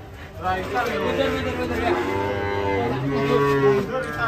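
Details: A cow coming down from a truck runs wild and tumbles into a roadside ditch, mooing in sustained, slightly wavering bellows over steady low rumbling and nearby men's voices.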